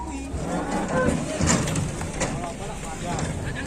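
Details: Angry cattle chasing a person, giving low, drawn-out moos under heavy wind rumble and background noise.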